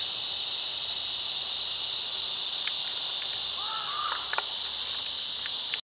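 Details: Summer chorus of cicadas at sunset in Florida, males calling for mates: an unbroken, shrill buzzing drone throughout, with a couple of faint short whistled notes from another creature midway.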